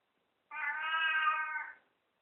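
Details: Drawn-out meow from Katy, a talking house cat greeting after waking, holding a level, strongly harmonic tone for over a second, with a person's voice asking questions before and after.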